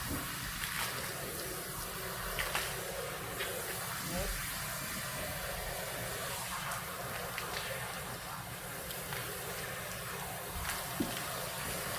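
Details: Running water and a steady hiss from washing a horse's mane, with people talking over it and no animal calls.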